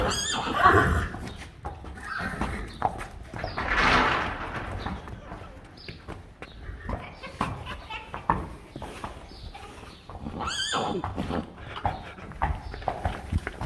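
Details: Friesian horses on a newborn filly's first day, the mare very protective: a drawn-out, rough-edged whinny near the start, another bright shrill whinny toward the end, with people talking and hoof clops between.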